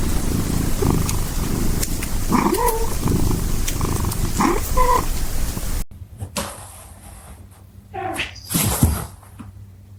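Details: Domestic cat purring: a low, pulsing rumble for roughly six seconds with a few brief higher tonal squeaks mixed in, then the purr stops and scattered knocks and handling noises follow.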